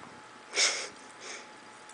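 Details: Bengal kitten called Leo, indoors, playing with a laser pointer without much interest: two short breathy sniffs, the first loud and hissy, a softer one following about two-thirds of a second later, against a quiet room hush.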